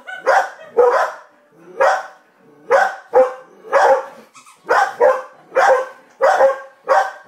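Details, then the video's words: Domestic dogs, one barking at a television and a second barking at the first, give about ten loud, rough barks in seven seconds, some in quick pairs, with short uneven pauses between them. "Gracie barking at the TV & Coco barking at Gracie"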